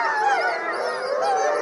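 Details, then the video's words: Pack of wolves heard at night in a park, several voices howling together in dense, wavering, overlapping tones that slide up and down, ending abruptly. "Appel Nocturne du Loup"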